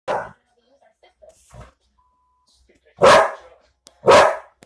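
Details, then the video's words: Pet dog barking indoors: one sharp bark, a pause with faint small sounds, then two loud harsh barks about a second apart. "Giz barking"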